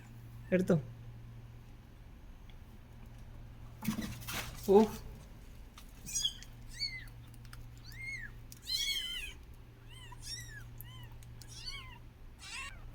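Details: A mother cat near her hidden kittens makes a few short meows, then many small arched, high-pitched mews come in a loose series, a couple every second, with a woman speaking softly.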